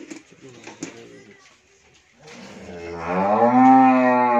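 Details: Friesian dairy cow with her heifer calf in Bhangura, Pabna, Bangladesh, yielding 20-22 litres daily; a man speaks briefly before a loud, drawn-out moo swells and rises through the second half.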